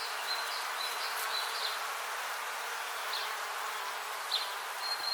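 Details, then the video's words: Bees buzzing outdoors in nature: a steady, dense, hissing hum fills the whole clip without pause, with thin, high, whistled streaks drifting in and out and a few brief chirps near the end. "Relaxing Bees Buzzing Sound"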